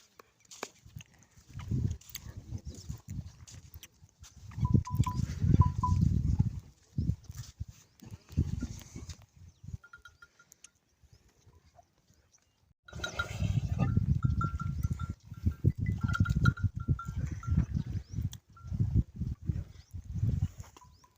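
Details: Camels in the Tharparkar jungle in the morning. Deep, gurgling rumbles come in long grumbling bursts around 4–7 seconds and again from 13 seconds to the end. Faint short whistled notes sound in the background.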